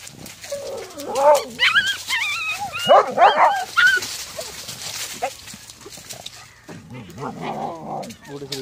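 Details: Doberman and Husky seeing a little puppy outside the fence: high wavering whines and yipping, warbling cries over background rustle, with a person speaking in the latter part.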